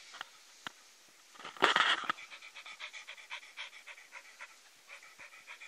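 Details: Norwegian Elkhound in Ireland panting in quick, rhythmic breaths after a louder, brief huffing burst, each exhale a soft airy puff repeating steadily to the end.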